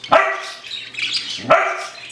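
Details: Standard poodle puppy Isabella, a five-month-old female, out on a walk, gives two short, sharp barks about 1.4 seconds apart, with quieter rustling and background noise between them.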